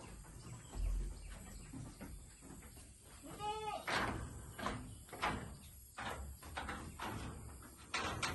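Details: Saanen dairy goats imported from Thailand: a single brief bleat near the middle, surrounded by repeated knocks, clatter and handling noises in the pen.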